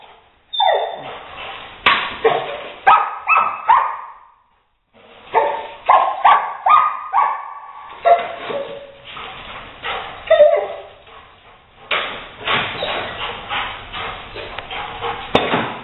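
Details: Rottweiler named Leo reacting to a gray squirrel that has got inside, later chased out an open window; sharp, high whimpering yelps repeat roughly twice a second, break off briefly, then resume in rapid excited runs.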